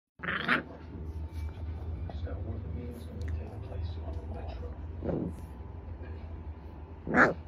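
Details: French Bulldog. A French Bulldog puppy lets out short, breathy whimpers and yelps in its sleep, spaced several seconds apart, the last one loudest. A constant low hum runs underneath.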